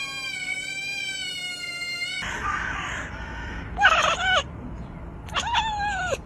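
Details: Cat sounds: a steady, high, sustained tone held for two seconds, then rustling, followed by two short, bright meows that bend upward and fall away, spaced about a second and a half apart.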